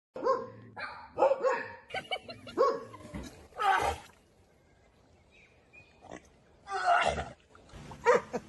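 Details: Dog. A dog makes a strange series of wavering, half-yodelled yowls mixed with abrupt bark-like bursts. After a brief quiet spell, it ends with another short, strained outburst.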